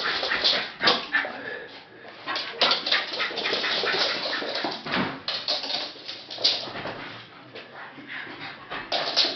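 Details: Jack Russell Terrier, female, indoors watching the postman leave the road, giving rapid high excited yips and whimpers, broken and irregular, several per second, with a little speech in the background.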